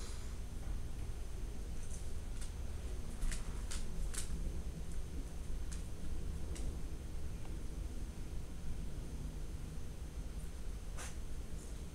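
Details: Steady low fan-like hum indoors with a few faint clicks and rustles, and no animal voice.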